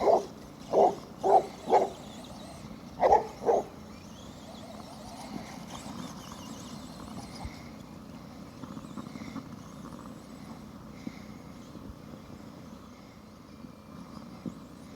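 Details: Cletus, a pet Basset Hound, barking while chasing his RC truck during daily indoor exercise: six loud, deep barks in two quick bursts within the first four seconds, then only quiet background noise with a few faint knocks.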